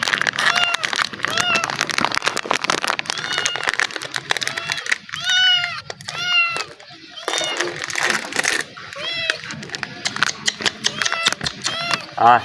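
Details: Hungry kittens, including a black one, crowd toward a befriended person, crying with repeated drawn-out arching meows and shorter mews throughout, over constant chatter, rustling and background music.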